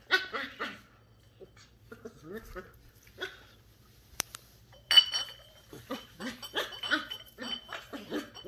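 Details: Sheltie puppy Ollie, a 10-week-old female, curious about a Coke bottle at home. A few short yaps open the clip, then louder barks and rustling bursts follow near the end.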